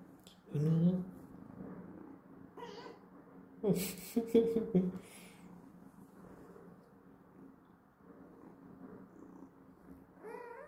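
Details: Calico kitten just woken from sleep, indoors: a short rising meow near the start and a louder drawn-out meow around four seconds, with a soft purr between and a woman speaking Chinese.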